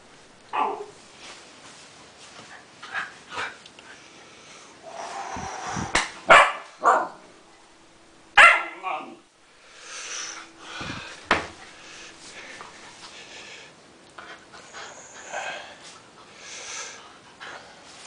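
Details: Siberian Husky puppy giving scattered short barks and yips, some sharp and loud, others soft whimpering sounds, with quiet pauses between bursts.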